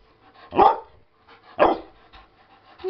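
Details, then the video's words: Naga, a sassy Shepherd/Husky mix dog, talks back in a shouting contest at home: two loud, harsh barks about a second apart, with quiet household noise between. "Naga Talking Back"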